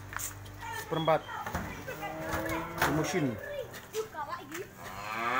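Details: Cattle offered for sale in 2020 give a falling, drawn-out moo among short overlapping lows, with people talking and clattering handling noise throughout.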